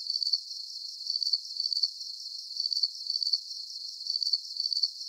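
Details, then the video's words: Soothing nighttime cricket chorus with high, pulsing chirps grouped in short bursts of three or four, separated by slight pauses, over a faint whining background. "Calming Cricket Sounds"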